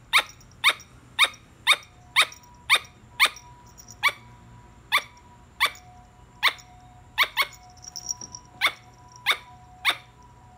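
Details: A squirrel calls loudly and close, giving about seventeen crisp, clicking barks in a brisk, slightly irregular series, with a brief soft chatter midway.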